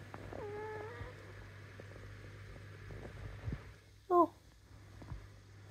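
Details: Indoor cat that wants cuddles gives a rising-then-level meow in the first second. A person talks quietly about going to bed, and a short loud harmonic cry follows near the end over a steady low hum.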